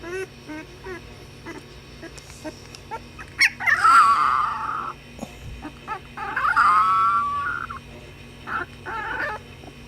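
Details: Playing puppies let out drawn-out whining yelps that slide downward, two long bouts with shorter yips between them, over a constant low electrical hum.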